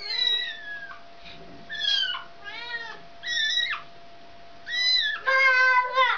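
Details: Mother cat taking her kitten back home from a child; loud, repeated high meows with strong harmonics, some wavering and falling, about six calls in quick succession, and a steady faint tone underneath.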